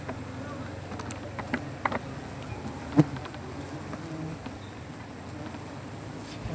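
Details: Native honey bees swarm around a wild comb on a banyan tree as it is cut for honey; a low, steady droning hum with layered tones runs throughout, broken by scattered clicks and knocks.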